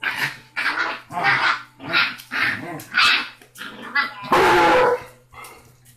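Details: Rocky, a tiny six-week-old Basset Hound pup known as the loudest of his litter, yaps in quick repeated bursts, ending in one long harsh cry; a steady low hum runs under it.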